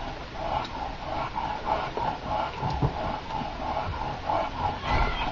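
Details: Eight-month-old bulldog pup in the first snow at Takilma, Oregon, on December 13, 2008, giving a steady series of nasal snorting grunts, roughly two per second, with constant background noise.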